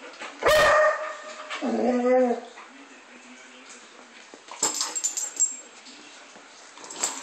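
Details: German Shepherd barking while playing: a loud harsh bark, then a rough, wavering growl-like bark about a second later, followed by quieter rustling and scuffling.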